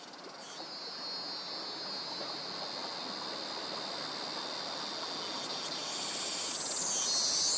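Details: Cicadas in jungle near mangroves in Krabi, Thailand, males calling to attract mates; a steady high drone holds through the clip, with a brighter, louder shimmer rising in the final two seconds, crickets alongside.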